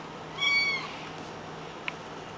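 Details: A pet cat gives one brief, thin, high-pitched meow lasting under half a second, steady then slightly falling at the end, over faint indoor hiss with a soft click afterward.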